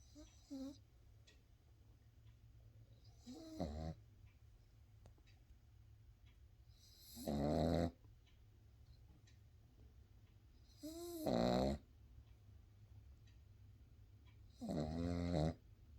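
A Boston Terrier puppy snores in loud, rasping bursts, each breath rattling with a wavering nasal tone.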